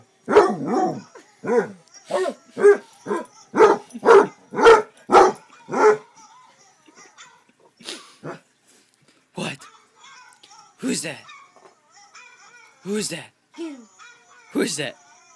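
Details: Basset Hound, a pet male, barking in a rapid run of about a dozen short harmonic yelps, then quieter scattered barks and a few drawn-out howling notes, with a person calling out excitedly in between.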